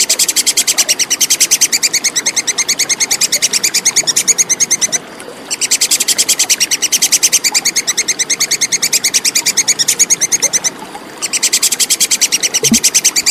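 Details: Plantain squirrel (tupai kekes) calling clearly, used to tutor contest songbirds: fast, regular volleys of piercing high chips, each bout about five seconds long with short breaks between, and a soft low knock near the end.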